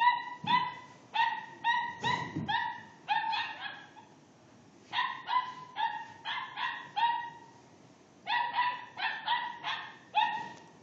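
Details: Dog barking after being provoked by a cat: quick, sharp, high-pitched yaps that come in three bursts of rapid repeated barks with short pauses between them. A low thump is heard near the start.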